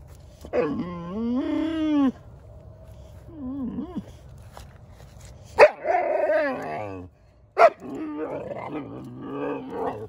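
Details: Odin the German Shepherd and little Bella harassing Samson the Boxer dog in rough play: long harmonic growl-whines, a brief yip, then two loud barks with rumbling growls between them.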